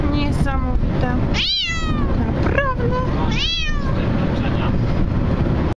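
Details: A Bengal cat cries in a car while travelling, as it does the whole way, giving loud, drawn-out meows that rise and fall over steady low road rumble; the owner remarks on how angry it is.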